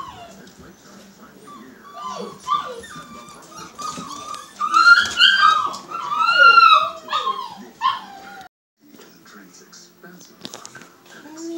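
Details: A newborn Siberian husky litter, born March 25, 2017 to Liv, heard as a chorus of overlapping squeaky whines and yips that swell, arc up and down, then fade before a brief silence, with soft talking underneath.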